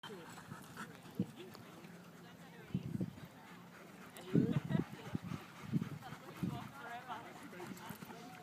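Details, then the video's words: Siberian Husky puppy, three and a half months old, playing rough; low growly bursts and grumbles with panting, loudest in a cluster around the middle, over a steady low hum. "Husky puppy plays rough"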